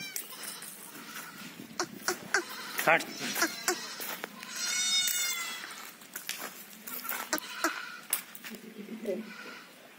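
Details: Several Jamunapari goats kept at a state goat farm give a high, strained, wavering bleat near the middle and a brief one earlier, amid frequent clicks, knocks and general farm clatter.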